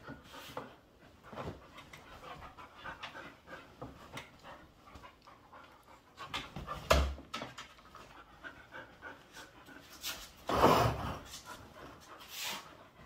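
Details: Two pet dogs play in a living room: Bonny, a 7-month-old Bull Terrier mix recently adopted, and Lucy, a 7-year-old Airedale Terrier. Rough, breathy panting runs throughout, with scuffling thumps and two louder bumps.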